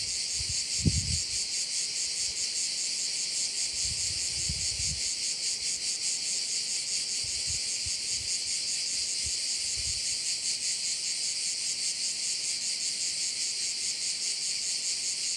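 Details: Chorus of crickets by a bay in Korčula, Croatia, a continuous bright, hissing trill throbbing about two or three times a second, a few low bumps early on, then even.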